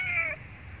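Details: Abandoned kitten crying for milk gives one short, high, slightly falling meow lasting about a third of a second, followed by quiet low rumble.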